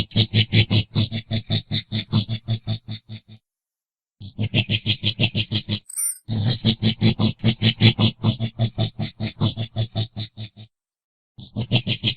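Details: Coati uttering steady trains of harsh pulsed grunts, two to three each second, grouped in runs of several seconds separated by brief silences, and one sharp high squeak between runs.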